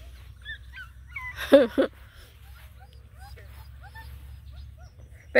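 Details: Black and Tan Coonhound puppies, nine together, hiking around a pond give a quick pair of loud harsh barks midway, surrounded by faint scattered whimpers and squeaks over a low background rumble.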